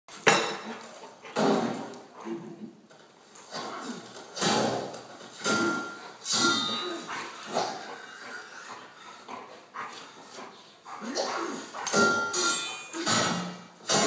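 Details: Two Labrador Retrievers wrestling in play, with rough growling and snarling bursts every second or two, some rising into harsh yelps. A movie sword-fight soundtrack plays in the background.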